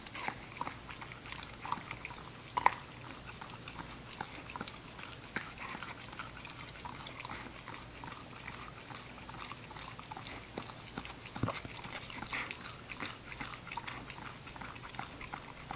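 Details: Ginger, a female English Cocker Spaniel puppy, at her eating show indoors: steady crunching and chewing, with rapid sharp clicks and crunches throughout and a few louder bites standing out.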